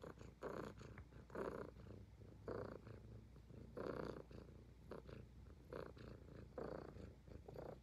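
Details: Close, rhythmic purring from a Highland Lynx cat as it grooms, deep vibrating rumbles alternating in and out, loud breathy bursts about once a second for eight seconds.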